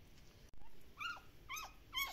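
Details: Active Shiba Inu puppies at a breeder in the Netherlands, giving three short, high whines, each dropping in pitch, about half a second apart after a brief knock; faint background hiss.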